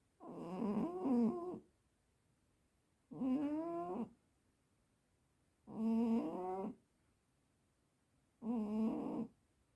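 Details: Pet cat snoring in its sleep: four drawn-out, slightly whistling wheezy breaths, each over a second long, coming about every three seconds in a quiet room.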